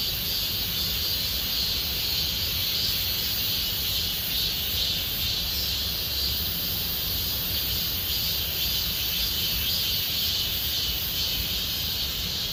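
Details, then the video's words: Constant shrill droning of many cicadas in Gomsol Nuri Forest, Sihwa district, as summer deepens; the high buzz barely wavers, with gentle low-pitched ambient noise below. "곰솔누리숲의 매미소리 Cicada sound of Gomsol Nuri Forest"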